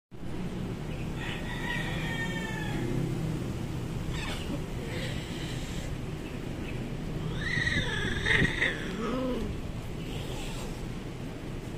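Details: Cat; fight yowls; quarrelling between cats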